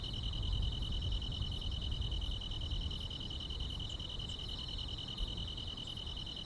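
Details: A dense, steady high-pitched insect trill sounds on a summer night, overlaid by sharp very high chirps recurring about every 0.7 seconds, plus a deeper low rumble throughout.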